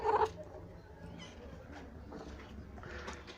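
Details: A cat at a cat shelter where a caretaker looks after a mother cat, giving one short, abrupt meow at the start, followed by a quiet room murmur and faint voices.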